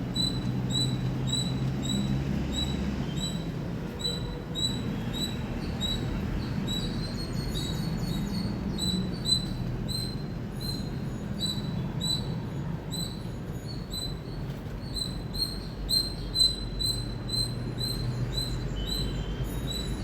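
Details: Indian squirrel chirping loudly: a long run of short, sharp high chips, roughly two per second, with a few rising squeaky notes mixed in, over a steady low rumble of background noise.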